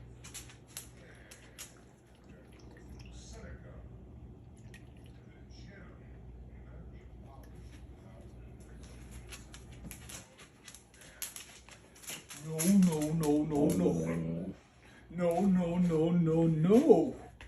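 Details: Pet dog indoors in a small room, persistently whining to get its way: two long wavering, pitch-bending whines rich in harmonics, the second sweeping upward at its end, after a stretch of quiet room sound with faint voices and dripping.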